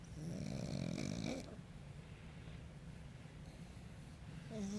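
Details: Sleeping pug, relaxed after a deep tissue massage, lets out one long, rough, low snore. A second snore begins just as the sound ends, over a quiet indoor background.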